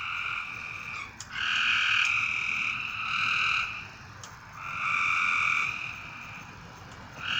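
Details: Frogs at night give drawn-out, reedy notes about a second long, separated by quieter pauses, with a few faint clicks and a steady background hiss.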